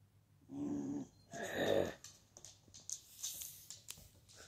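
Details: American Bully reacting to its own reflection: two short, rough, low growls about a second apart, the second louder and longer, followed by light clicks and scratching sounds.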